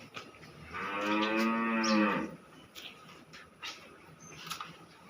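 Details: Cow in Khulna, Bangladesh, a second-calving dairy cow giving about 37 litres of milk, lowing once in a single strained, harmonic moo of about a second and a half, followed by quiet room noise and faint clicks.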